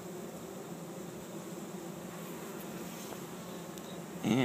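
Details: Thousands of honey bees from a swarm on the ground in a Chico, California yard in 2013, walking into an empty hive during capture. A continuous low droning hum, with a brief louder human voice breaking in at the very end.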